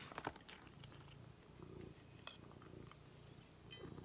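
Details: Happy pet cat indoors, purring while enjoying new organic food she loves; a steady low rumbling purr runs throughout, with a few soft clicks and chewing noises near the start.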